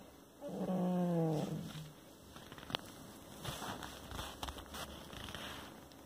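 A Bull Terrier gives a low, drawn-out grumbling moan of frustration lasting over a second.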